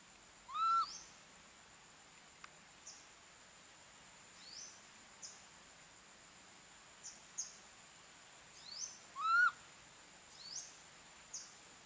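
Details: Monkey left alone by its mother, calling for her: two loud, clear whistled notes with a brief upward slide, about eight seconds apart, with faint, short high chirps scattered between them over a quiet background.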